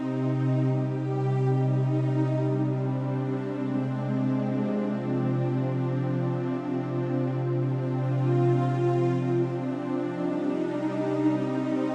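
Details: Soft ambient new-age music with sustained tones plays throughout, and no animal sound is present.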